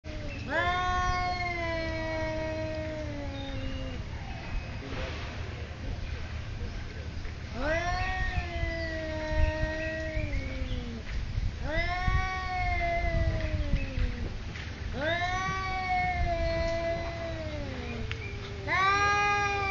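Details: Two cats in a territorial standoff at a resort in Thailand: long drawn-out yowls, each rising then sagging in pitch over several seconds, repeated about five times with short gaps, over a steady low hum.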